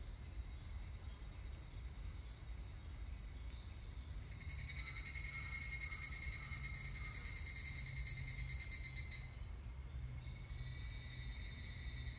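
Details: Evening cicada song recorded 25 July 2019, a loud rapid pulsed phrase swelling in around four seconds in, lasting about five seconds, then tapering off, set against a constant shrill insect drone and low rumble.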